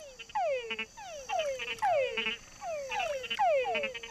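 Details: Male túngara (mud-puddle) frogs give falling whines ending in short, rattly chucks as a mating call to attract females; a lower croak marks a bigger male, and fringe-lipped bats also listen in.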